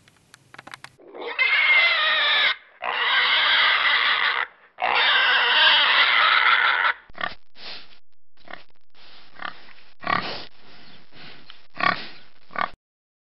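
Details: A domestic pig giving three long, loud, harsh squeals of about two seconds each, followed by a run of short, irregular grunts.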